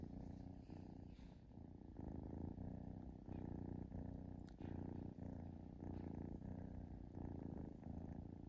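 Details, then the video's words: Kitten relaxing and purring, a deep buzzing rumble that swells and fades with each breath about twice a second, a few faint clicks briefly audible over the steady purr. "Cute Kitten Purring"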